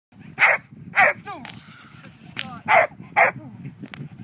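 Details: Giant Schnauzer dog barking: four loud, short, sharp barks spaced unevenly over about four seconds, with softer vocal sounds and faint background noise between them.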